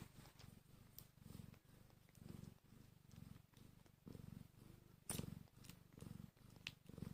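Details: Newborn kittens, one hour after birth and hungry, give a low rumbling purr in rhythmic pulses about once per second, with soft clicks and a sharp tap near the five-second mark.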